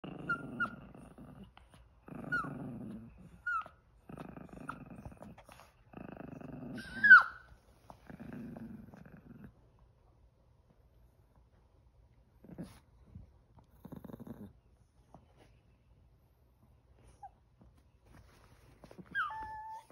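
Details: Two Chihuahuas, aged eleven and six months, one of them crying indoors: rhythmic low grumbling bursts every two seconds with thin high whines over them, then a sharp yelp and quieter whimpers after a pause.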